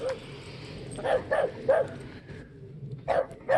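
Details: Sapsali puppies with their mother, a rescued dog who gave birth at the Gimje shelter and now lives in foster care; short yipping barks repeated in bursts, with quiet speech around them.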